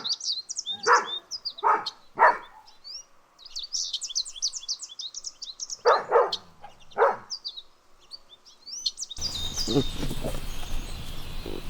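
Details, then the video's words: Dogs playing and chasing on a lush green meadow give loud single barks in two bunches, with birds chirping and twittering steadily overhead; a stretch of rough noise takes over near the end. "Dog barking sounds"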